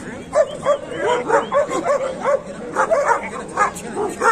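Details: Dogs bark at a dog market in Kohat, Pakistan, on 28 November 2021, where Pakistani bully dogs and German shepherds are shown. Short, sharp mid-pitched barks come in quick uneven bursts over steady crowd chatter.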